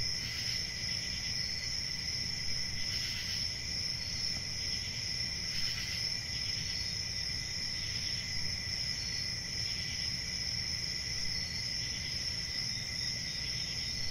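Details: Crickets keep up a continuous shrill, ringing trill with a few stronger pulsed chirps early on, then an even steady drone, over soft low rumble.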